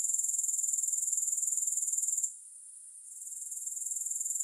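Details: Continuous high-pitched grasshopper chirring, finely pulsed at about four beats per second. It cuts out briefly past the two-second mark, then resumes and swells back. Nothing else is heard.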